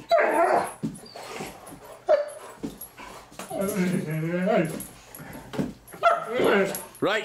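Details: Great Danes Milly and Izzy at play indoors: short harsh yelps give way to a drawn-out, quavering howl-like grumble midway, followed by more yelps, with a person commanding sit and talking throughout.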